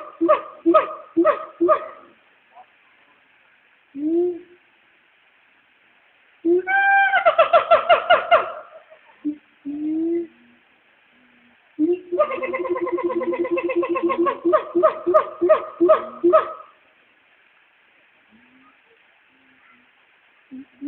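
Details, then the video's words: Two caged Black Siamangs at the Nashville Zoo call to each other from the trees around midday, recorded on an old phone: bursts of rapid, repeated harmonic barks in quick series, separated by short quiet gaps and softer hoots. "Black Siamangs calling to each other"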